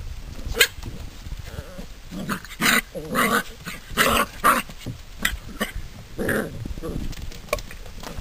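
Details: Drever puppies, seven weeks old, at play: short rough growls and yaps in bursts, several overlapping, with thuds and scuffling between them.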